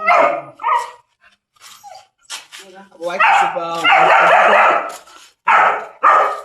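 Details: German Shepherd on a chain for the first time, giving a couple of sharp barks, then a stretch of people talking, followed by a sustained loud harsh barking outburst and one more bark at the end.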